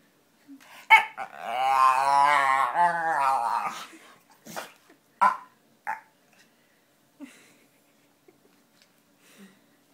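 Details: Pet dog making funny noises and faces indoors: a long wavering whine-howl with rising and falling harmonics lasting about three seconds, followed by a few short snorts and yips.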